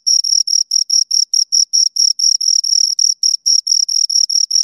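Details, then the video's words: Two crickets heard right at the ear, loud high-pitched chirps in quick succession, slightly uneven in length and spacing, nothing else audible. "Two Crickets Chirp Sounds"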